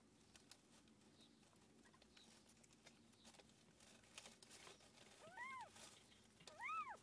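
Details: Domestic cat Tússa-Gatússa during the birth of seven kittens. Quiet rustling and low hum fill the clip, then two short arched mews rise and fall near the end, about a second apart.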